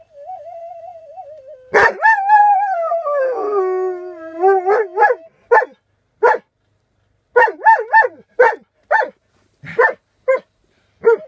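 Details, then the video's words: Alaskan Malamute singing: a long descending howl held for several seconds, then a string of short, clipped woo-woo yips spaced about half a second apart, after a thin wavering tone. "Поющий маламут"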